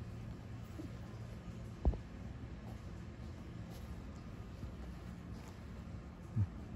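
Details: Quiet low hum indoors, broken by two soft thumps, with no animal sound.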